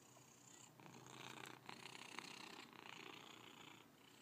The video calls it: Purring Cat